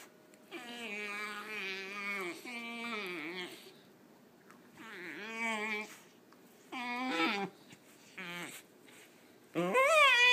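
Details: Bathing a Wheaten Terrier puppy that is upset about it: long, wavering, harmonic whines and moans in several bouts, some sliding down in pitch, ending with a louder, higher rising cry.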